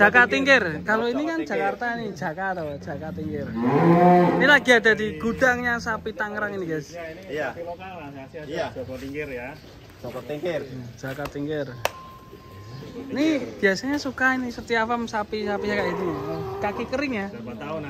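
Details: Fat cattle at GST Farm in a Tangerang cattle barn: repeated deep, drawn-out lowing, one loud swelling moo near the middle, with people talking and music faintly behind.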